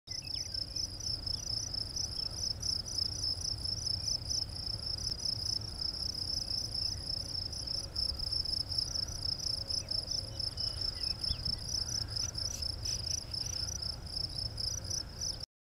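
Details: Crickets chirp steadily in the morning sun on 16 May 2012 beside the Poudre River Trail, a high, pulsing trill that carries on without a break.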